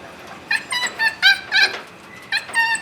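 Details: Caged puppy whimpering, one of two sisters named Annie and Chichay, one of whom hates being caged: a run of high, tonal whines and yelps in short bursts, several close together, then a pause and two more.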